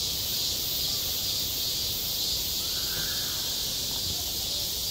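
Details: Cicada buzzing through a hot summer day at a school yard: a constant piercing, hiss-like drone that never breaks, plus one faint, brief lower call partway through.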